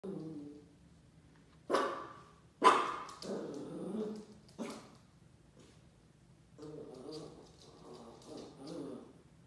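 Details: A Shiba Inu puppy in his first week at a new home meets a paper roll, giving sharp, scattered yips and low growling grumbles amid crackling paper.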